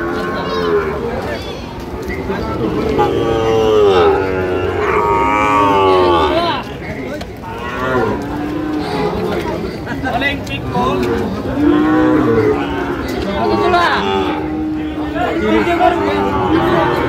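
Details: Cattle market scene, 4 August 2025, where a Sahiwal bull calf went to a farmer from Dhaka: repeated bellowing moos with bending, wavering pitch rise above constant crowd murmur, and the calls overlap with other cattle and people talking.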